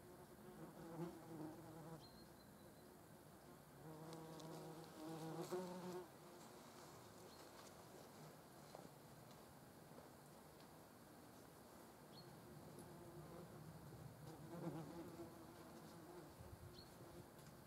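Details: Buzzing of a European hornet among German wasps: a steady low drone with layered overtones, rising in loudness as insects pass close around four to six seconds and again near fifteen seconds.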